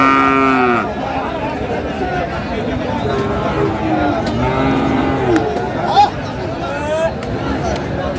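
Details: Young Sahiwal bull at a livestock market in Manikganj, Bangladesh, on 21 November 2024, during bargaining. It gives one deep, harmonic moo lasting under a second, followed by a busy crowd with people talking.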